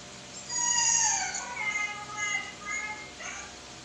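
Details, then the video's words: Young Siberian Husky howling while talking to a phone: a quiet, wavering, harmonic vocalisation lasting about three seconds, sliding downward, then a few shorter fluttering notes, over faint background hiss. "HOWLING- My baby husky talking to the phone"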